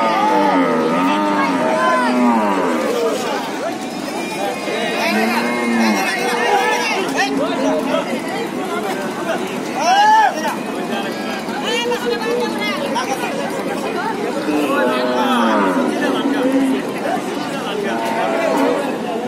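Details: Cattle being unloaded onto the bank from a trawler loaded with them that got stuck; many overlapping drawn-out, bowed moos, rising then falling, over loud shouting and chatter from a crowd of people.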